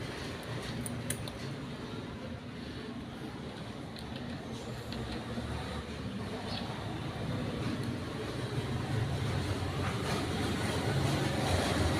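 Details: Steady outdoor road traffic rumble that slowly grows louder, with a few faint clicks; no meowing or other animal voice comes through.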